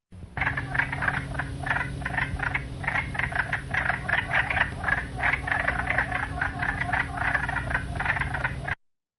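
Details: Wood frogs calling in a dense chorus of harsh, duck-like "wacka wacka" clucking quacks, overlapping rapidly with a steady low hum beneath; they start calling in spring as soon as meltwater begins.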